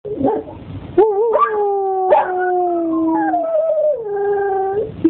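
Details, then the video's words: Belgian Tervuren dog howling: long tonal wails starting with a wavering rise, then sliding slowly downward in overlapping drawn-out notes, with a brief whimpering yip at the start and end. "Aris che ulula"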